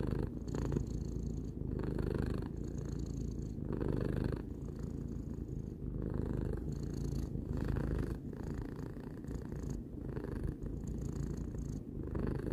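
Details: A three-year-old domestic cat purring indoors; a steady low rumbling purr continues throughout, with a soft rhythmic pulsing of breaths roughly every one to two seconds and no other sounds.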